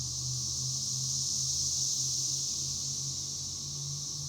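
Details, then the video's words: Cicadas, known as chicharras or cigarras, sustain a dense high-pitched droning buzz; a low steady hum, likely mechanical, runs faintly underneath the whole time. "El sonido de las chicharras"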